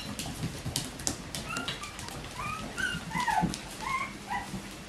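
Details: Bichon Frisé puppies of litters O and P at a small kennel in Denmark, squeaking in short high whimpers and yips, several brief tonal cries scattered throughout, with faint rustling and a low hum indoors.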